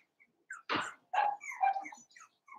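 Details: Cavalier King Charles Spaniel puppies, four weeks old, from Daisy's litter in an indoor pen. Short yelps and whiny, tonal whimpers come in uneven bursts, with a few faint squeaks between them.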